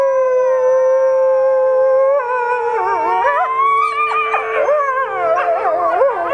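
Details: Captive critically endangered red wolves, four of them, including two nine-month-old pups, howl at a conservation center in South Salem, New York, joined by Arctic and Mexican gray wolves. One steady, level howl gives way to several overlapping, wavering howls rising and falling.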